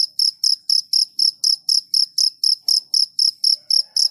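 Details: A cricket gives loud, evenly spaced, shrill chirps, roughly three to four short pulses each second, sharp and metallic in tone against a quiet background.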